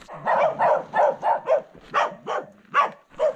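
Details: Village dogs in the Ecuadorian Andes between Quilotoa and Chugchilan barking wildly at hikers walking the road; a rapid run of about ten sharp, hoarse barks, spaced roughly a third of a second apart.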